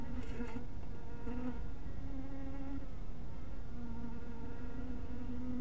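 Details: Honey bees around a small hive house in twilight light: a steady, low droning buzz with overtones, swelling and wavering as bees pass close, over a constant low rumble.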